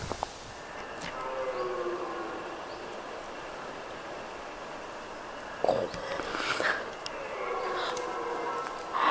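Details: Red deer stags roar during the September rut in a Normandy forest around 9 a.m., long, hoarse, moaning bellows that swell and fall, possibly while fighting; quiet human voices and a few sharp knocks between calls.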